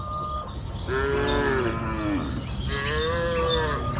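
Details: Cows mooing on a green pasture hill in the afternoon: two long, low, drawn-out moos with slight rises and falls, steady rural background hum beneath.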